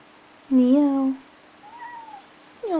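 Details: Pet cat Neo, indoors by the door after seeing snow for the first time, meows because he wants to go outside: a loud drawn-out meow with a slight upward bend, a softer gliding meow, then the start of a third.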